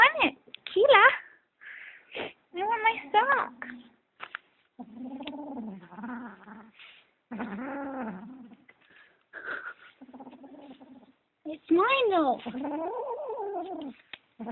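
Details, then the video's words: Kitten possessive over socks, making weird noises: wavering, drawn-out growly yowls in uneven bursts, some rising and falling in arches, separated by short silences, with a low rumbling tone between outbursts. "Kitten Making Weird Noise"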